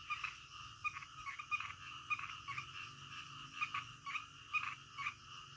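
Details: Night frogs croaking in the middle of the night: quick clicking, rattly notes repeat in brief clusters, several voices overlapping against a constant high-pitched insect-like hum.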